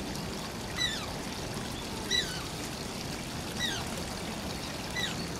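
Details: Shishimaru, an Asian small-clawed otter at Oji Zoo, whining: four sharp, high squeaky cries that slide downward, spaced about every one and a half seconds, over a steady rush of pouring water.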